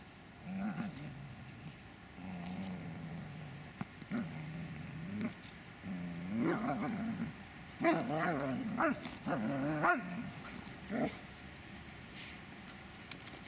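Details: Dobermann Magmar Von Der Burgstätte, low rumbling growls rising into wavering yowls and a few barks, with quieter gaps between bursts.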